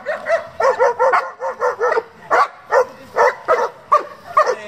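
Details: German Shepherd of a breeding and competition working group barking in a steady run of short, punchy barks, roughly two per second, some with a yelping edge, sustained for nearly five seconds.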